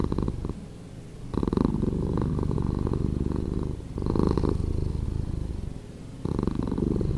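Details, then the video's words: Cat purr, edited to a slower speed, heard as a coarse, vibrating low drone with louder pulses near the first, fourth and sixth seconds between softer stretches. "Cat Purring"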